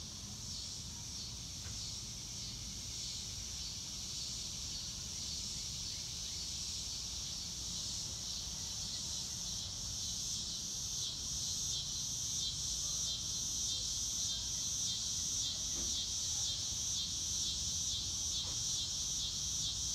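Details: Outdoor crickets, faint at first, their high pulsed chirps growing clearer and steadier through the second half against soft background noise.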